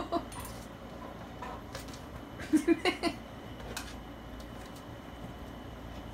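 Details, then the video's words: Dog indoors barking at an air conditioner: a quick burst of four short, sharp barks midway, with a few fainter yips before and after over a steady room hum. "Dog barks at air conditioner"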